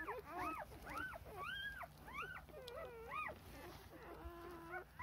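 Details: Four-day-old Rough Collie puppies wanting milk while their mother is busy cleaning them, recorded 2 June 2021; high, arching whimpers and squeals come in quick overlapping bursts, with a faint steady hum behind them.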